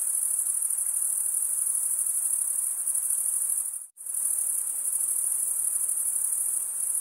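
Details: Crickets chirp in a constant high, ringing trill made by males rubbing their wings, cutting out abruptly for a split second near the middle before resuming at full strength.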